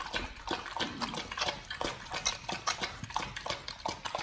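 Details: Close-up ASMR recording of dogs on a raw BARF diet eating raw chicken breast and duck feet; wet, sticky chomps and lip smacks arriving roughly every quarter second in short bursts.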